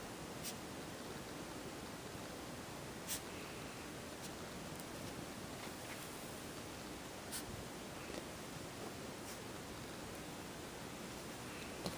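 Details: Quiet indoor room tone with faint rustling and a few soft clicks, no animal voice heard.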